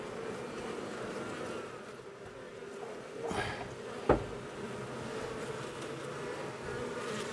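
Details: Honey bees buzz steadily as an old wall colony turns angry after dark on the first day of a removal cutout, a thick even hum marked by one sharp click midway.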